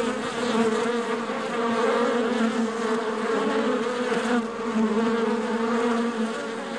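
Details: Steady hive ambience of many honey bees, a thick droning buzz with layered humming tones that swell slightly and never pause; no other voices or noises.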